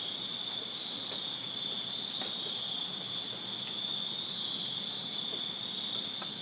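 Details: Crickets in a Virginia backyard fill a summer night with a steady, shrill, high-pitched chorus of continuous chirping.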